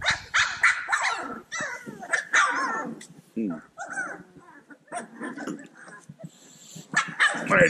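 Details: A bunch of playful Cane Corso puppies yipping together, a dense overlapping chorus of high, harmonic yelps and squeals with rising and falling whines. A person's voice is heard briefly among them.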